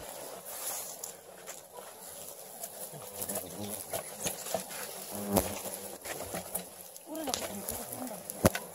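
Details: Swarm of about 2,300 Asian giant hornets as their 13-kilogram nest is dug out by three people over three hours. A steady low droning hum runs throughout, with clicks, handling knocks and brief human speech.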